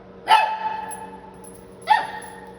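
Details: Shih Tzu puppy in San Antonio, Texas, letting out two sharp, tonal barks about one and a half seconds apart, each trailing off briefly, against a low continuous room hum.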